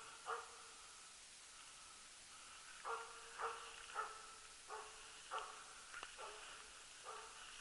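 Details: During loose-dog elk hunting in 2012, the Jämthund Rapp gives a series of about nine distant, mid-pitched barks. After an opening bark and a pause, they quicken to nearly two per second, against faint outdoor hiss.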